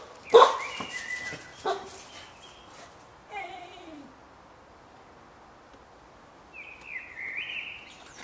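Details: A 20-week-old (5-month-old) Stabyhoun–Wetterhoun cross pup (75% Frisian Stabij, 25% Wetterhoun) in the garden gives one sharp bark and a couple of softer yaps, then a short falling whine and later a thin, high squeaky whine.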